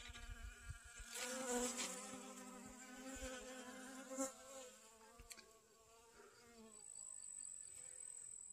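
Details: Honey bees working sunflowers for pollen in a garden, 25 August 2021. A rich, humming buzz grows louder around the second second, then fades and drops away after about six seconds, leaving quieter background.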